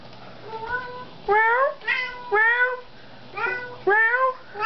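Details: Domestic cat indoors meowing at its owner during an evening exchange; a series of about six clear harmonic meows, some rising then falling, loud and spaced roughly every half second to a second, with a faint steady low hum behind.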